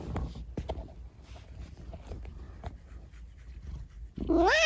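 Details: Rescued kitten with an injured, disabled leg after an accident, chattering at night indoors: after several seconds of quiet rustling, one short, clear meow that rises then wavers downward at the very end.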